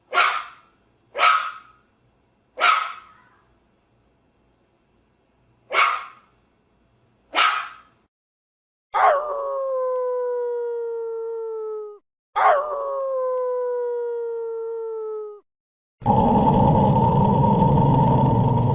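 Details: Big dogs giving a string of short, sharp barks spaced about a second apart, then two long, steady, slightly falling tonal calls lasting several seconds each, ending in a burst of broad rumbling noise.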